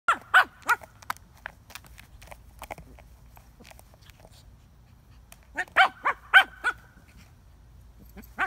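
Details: Shih Tzu playing with a frisbee, giving short, sharp, yappy barks in quick clusters of three or four, with a quiet stretch of scattered softer sounds between the bursts.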